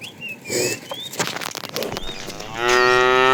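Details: Tame cows roaming a road looking for food; a short, loud moo with stacked tones breaks in near the end, after a quieter stretch of thin bird whistles and rustling.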